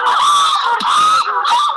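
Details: Pant hoot from Edgar, the alpha male chimpanzee of the Mitumba community at Gombe, a loud call for keeping contact over long distances. Loud, strained tonal hooting with harmonic bands, rising and breaking in short surges.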